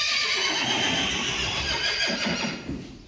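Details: A Friesian horse of a herd gives a long, loud, rough whinny that holds steady for about three seconds before fading, with faint hoof clops underneath.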